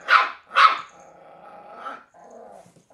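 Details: Willow, a Cairn Terrier puppy of three months, tackling an empty bottle: two quick, sharp barks followed by a drawn-out low growl that rises once more before fading.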